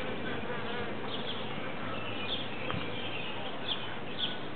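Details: Large cluster of bees gathered in a tree, giving a continuous low droning buzz of many wings, even in loudness, with a few faint clicks near the end.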